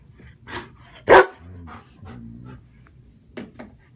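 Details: German shepherd Sheba guarding her owner from another German shepherd, Max: one sharp, loud bark near the middle, then low droning growls. Softer huffs come before and after, and a person's voice is heard briefly.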